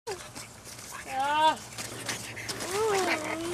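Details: Five-week-old French Bulldog puppies playing outside, including Heidi and Lily in a tunnel: two high, wavering squeals, each bending up then sliding down, under a steady low hum with faint human talk.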